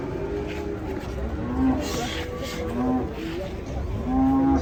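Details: Cattle getting down from a truck in Indonesia, said to be drowsy as it tumbles off. Several short, low, steady moo-like tones come about every one and a half seconds over background music, clapping and people chatting.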